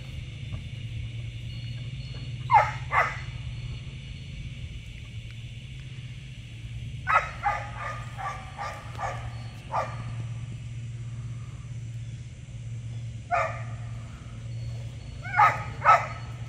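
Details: Giant Schnauzer pup Tux hunting a rat on his first ratting outing, morning exercise: short clusters of rapid barks separated by quiet gaps, a pair early, a longer burst midway, then brief doubles, over steady low hum.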